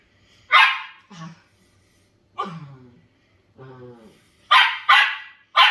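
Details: Pet Shetland Sheepdogs, a household pair of tri-color and grey shelties having fun: a sharp, loud bark opens, then a person talks indoors, and a quick burst of three harsh barks comes at the end.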